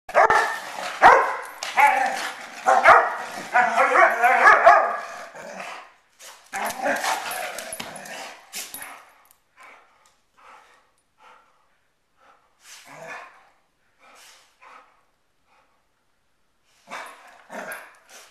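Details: Poodle fight: about six seconds of loud, dense snarling and barking, then scattered short, quieter yelps and yips with pauses between, and a final burst of sharp yelps near the end.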